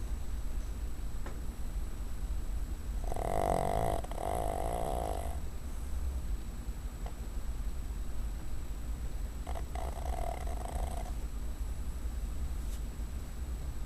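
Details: ['Sleeping on a desk where she comes every day, the female dog Cuddles gives two separate snores about six seconds apart, each a coarse vibrating rasp, the first louder and longer, with quiet room hum between.']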